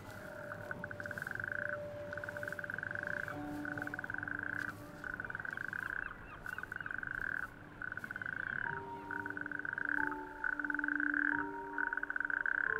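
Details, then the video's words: Natterjack toads chorus on warm May evenings from small bare-rock islets of an outer coastal archipelago, giving loud rasping trills of a second or two, one after another; males sing at night with inflated vocal sacs to attract females. "It is the croak of the natterjack toad, our smallest toad."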